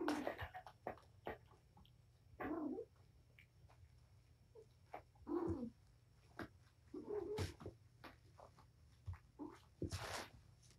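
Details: Indoor playtime of the mother cat Patience with her five young kittens at Purrfect Pals, 7-25: brief mewing calls scattered among sharp clicks, thumps and scuffling from play.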